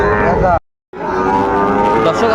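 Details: Sahiwal bull calves at a Bangladeshi cattle market on 20 June 2024, among sixteen bought for Chattogram: a rich, harmonic moo broken by a brief silent gap, then resuming steadily, with faint market voices behind.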